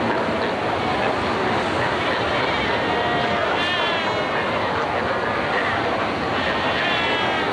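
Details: Cape fur seals at Cape Cross Seal Reserve on Namibia's Skeleton Coast, filmed in 1992 while fighting, sunbathing and rearing pups. A dense, continuous roar of overlapping bleating calls fills the colony without pause.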